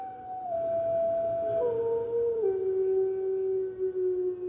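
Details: Red wolves at a wolf conservation center in New York join the center's other wolves in a morning chorus on 15 March 2013: long, smooth howls sliding down in steps, several voices overlapping, with a steady low hum underneath.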